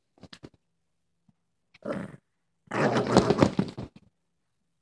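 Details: A female Boston Terrier gives rough, throaty growls in two bursts, the second longer and louder.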